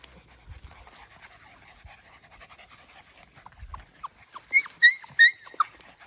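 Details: Australian Shepherd puppies out exploring a farm: after quiet rustling, a run of high whining yelps, each bending up then down, comes about six times in the last two seconds, clear and close.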